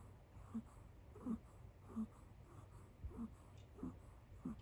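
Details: Kit Teas Chai, a kitten asleep on a couch beside a person, snores like a tiny donkey: short squeaky wheezes, each with a soft rising-falling tone, come about every two-thirds of a second, seven in a row, in a quiet indoor room.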